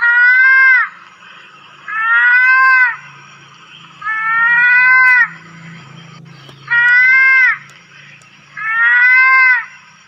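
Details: Lesser mouse-deer (kancil, pelanduk) calling in the wild: loud, drawn-out nasal bleats, each about a second long with a slight rise then fall, repeated five times at steady intervals over a faint low hum.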